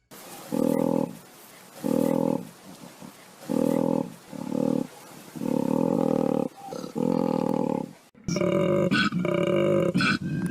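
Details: Koala calling: a series of deep, rasping, snore-like bellows, each about half a second to a second long, separated by brief pauses, ending in a harsher, brighter bout of grunting.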